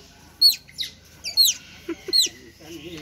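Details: Several otters at Lembang Park and Zoo, noisy because they are hungry, give shrill downward-sweeping squeals about once a second, with a person's voice in the background.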